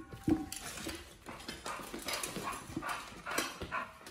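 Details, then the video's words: Oliang, a Pit Bull, eating a raw ostrich paw for the first time; irregular wet crunching and gnawing bites spread across the clip, with a sharp click near the start. "Oliang the Pit Bull 1st time eats Raw Ostrich PAW [ASMR]"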